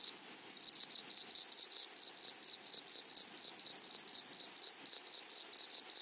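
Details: A flowery meadow rings with grasshoppers: dense, high, metallic ticking pulses repeated rapidly and steadily, with pulsing loud rasps layered over the continuous chorus.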